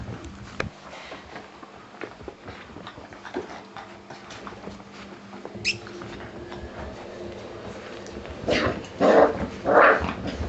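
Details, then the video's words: Six-week-old Springer Spaniel pups making a few short high whimpers and yelps near the end, after a long quiet stretch with household noise and a faint steady hum. "Springer Spaniel pups 6 weeks"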